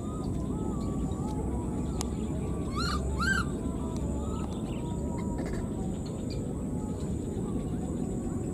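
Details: Two brief arched squeaks, close together, from a wild newborn baby monkey left behind and calling for its mother; the rest is steady low background rumble with faint scattered clicks.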